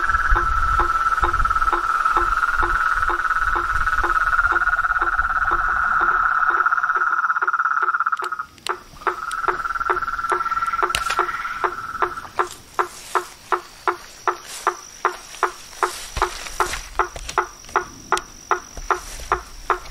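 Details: A pulsed trilling chorus of toads, frogs and treefrogs in nature fades after eight seconds, leaving sharp knocking clicks repeated roughly twice a second, with a brief renewed trill.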